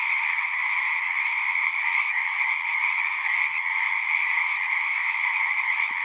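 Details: Frogs singing en masse in a natural soundscape: a thick, constant blend of pulsing trills at two pitches, uniform in volume, with only faint scattered low ticks beneath.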